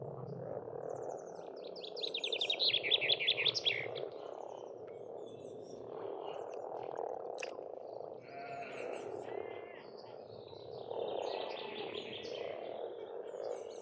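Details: Spring frogs at a pond in Estonia make a steady, churning croaking chorus that swells and fades. Birds sing loud, rapid trilled phrases on top, with a sharp click near the middle.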